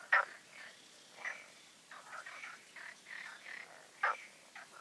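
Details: Frogs calling at night in the ponds of a garden oasis in Poland, the night before a full moon; short harsh croaks and clicks, scattered irregularly, two louder close calls standing out over quieter distant ones.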